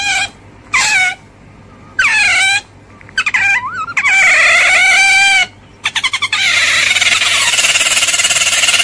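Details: Otter making short upward-sweeping squeaks, then a long wavering squeal, ending in a harsh buzzy rasp.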